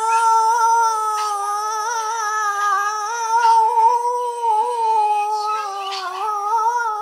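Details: A female Boston Terrier holds a long, wavering howl, singing along in a steady, tuneful drone to a sing-along with another dog's howling solo.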